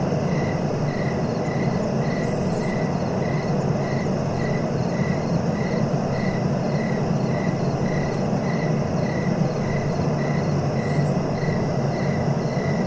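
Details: Crickets chirping in steady, evenly spaced high pulses roughly every two-thirds of a second, with occasional brief buzzy bursts higher up, over a constant low rumbling background noise.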